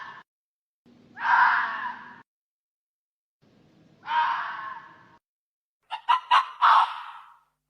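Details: Hoary fox with two drawn-out grating screams, followed by a quick burst of short choppy barks that run into a final rasping cry, over a faint low hum.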